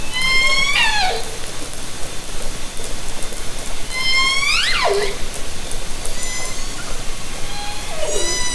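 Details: Underwater hydrophone recording made from a kayak in Haro Strait during summer 2010 orca encounters: three repeated orca calls, each a long harmonic tone ending in a sharp upward-then-downward sweep, spaced roughly every three to four seconds, over background sea noise.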